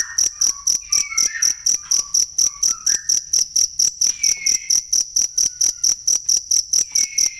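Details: Cricket, recorded for training songbirds, giving loud, high, shrill chirps repeated steadily about twice a second, with faint sliding whistles and short tonal notes in the background.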